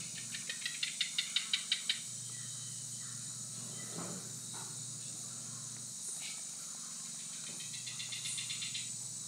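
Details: A Fitzinger's robber frog in Costa Rica gives its breeding call, a rapid run of dry, ticking clicks that swell in loudness over about two seconds and then repeat, over a steady high insect hum and low drone.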